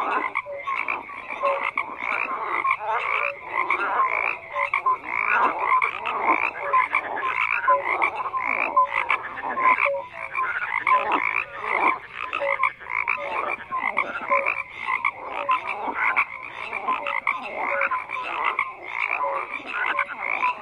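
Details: Many frogs croak together in a thick, unbroken chorus, the rasping calls swelling and dipping in loudness while scattered brief tonal notes sound through the mass.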